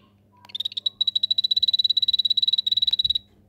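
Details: Anthony's poison arrow frog of the Rio Saladillo locality calling in a home paludarium vivarium: a rapid trill of short, high, evenly pulsed notes, about thirty in under three seconds, with a faint low hum behind.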